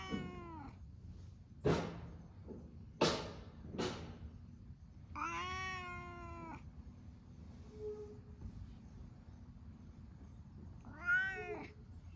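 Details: Stray cats basking in the sun together in Japan, with an affectionate orange tabby among them; two long harmonic meows, a few sharp knocks and clicks in between, and a steady low hum beneath.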